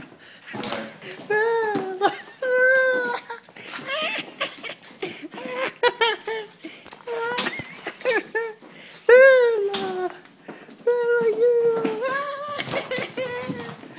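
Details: Bella, a hyper female Italian greyhound indoors, excited at seeing her owners: a run of high, tonal yelping whines, each sliding downward, coming in quick bursts with short breaks, over household noise in a small room.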